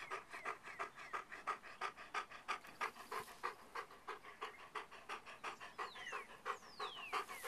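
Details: Beau, a pet dog pausing for treats on a walk, pants rapidly and steadily, about three breathy huffs a second in an even rhythm, while thin bird whistles sound faintly in the background.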